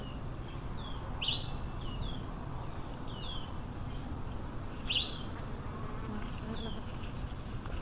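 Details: A wild swarm of Africanized honey bees gives a steady, low droning hum, with small birds chirping above it.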